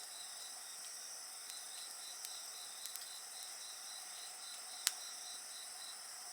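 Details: Several insects keep up a steady, thin, high ringing chorus with a softly pulsed trill beneath, while occasional crackles of a campfire break through, including one loud snap.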